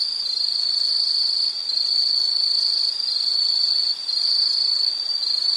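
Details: Insects trilling in one steady, shrill, high-pitched band. The buzzing drone runs unbroken through the clip, dipping briefly in loudness twice. No other sounds stand out.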